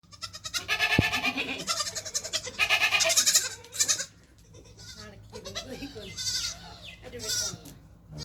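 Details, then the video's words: Black baby goats drinking milk bleat loudly and repeatedly. Their wavering, nasal cries overlap in quick bursts, then fade to softer, shorter bleats. "Baby Goats drinking Milk 🥛 Black Baby Goats - RELAXING SOUNDS"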